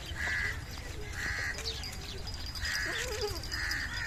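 Young Beetal goats bleat in short, nasal bursts, repeating about every second over a low rumble.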